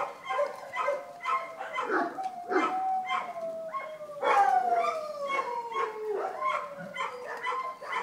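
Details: Several Vizsla puppies at Wey Farm Kennels whining, with drawn-out tonal cries sliding slowly downward, one long falling wail standing out, while short yips pop in around them.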